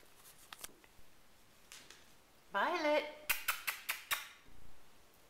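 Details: RagaMuffin kittens of the Stars of Hollywood litter from Kaerik RagaMuffins, nine weeks old, indoors: one half-second harmonic mew that rises and then holds level. A quick run of sharp clicks follows, with a voice calling names just before.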